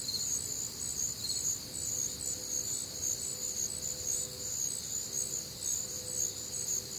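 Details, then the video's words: Warm, humid Midwestern summer night with crickets and other night insects, many high shrill pulsed chirps repeating around twice per second in a steady unbroken wall of sound. "Night Time Cricket Sounds"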